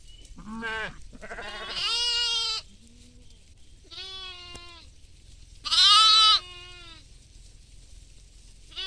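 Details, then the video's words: Goats and sheep feeding together in a field: overlapping harsh, quavering bleats, one strained and high, others shorter and lower, separated by quiet pauses. "goat sounds"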